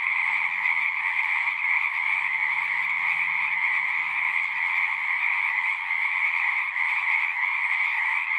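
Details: Frogs singing together at a pasture pond, captured on a Zoom 6 recorder; a thick, unbroken trill chorus holds steady with two bright bands, plus a faint low hum underneath.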